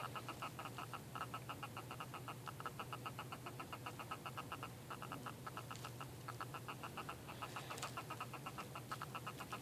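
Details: Chirping purple pincher hermit crab in a shell fight, giving a long run of quick, sharp clicking pulses in bursts with brief gaps, set against a constant low background hum.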